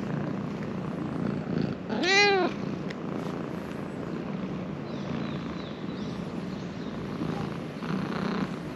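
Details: Just-woken stray ginger cat living in Japan, an affectionate animal, gives one clear arched meow, rising then falling, about half a second long, over a constant low hum with faint rustling.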